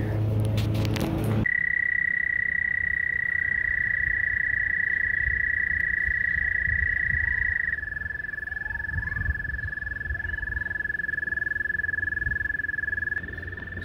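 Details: Frogs calling in the saddle-billed stork's pond at Kansas City Zoo at Easter time, many present while the stork is off exhibit. A long, steady, even trill holds one pitch, then drops slightly lower midway. Brief speech opens.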